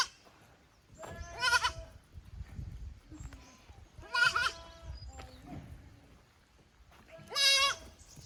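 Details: Young goat kids from a farm's lower pasture visiting the upper pasture, 15 May 2024, unsettled in unfamiliar ground: three loud, wavering, harmonic bleats roughly three seconds apart over low rumbling and rustling.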